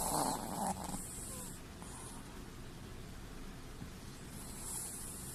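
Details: Chihuahua asleep and snoring, eyes showing white: a short hissing, rattling snore opens, another brief rasp follows, then quiet low breathing before a soft wheezy inhale returns near the end.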